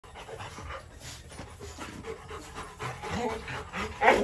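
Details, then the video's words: Two Rottweiler puppies in a kennel, heard as quick, breathy panting that grows louder and rougher toward the end, with a few faint voice-like sounds in the background. "Rottweiler Puppies Bruno and Dora in the Kannel"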